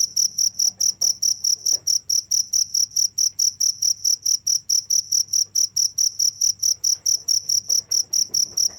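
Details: Unbroken cricket song: rapid, evenly spaced high chirps, over two per second, loud and constant throughout, with soft low rumble behind.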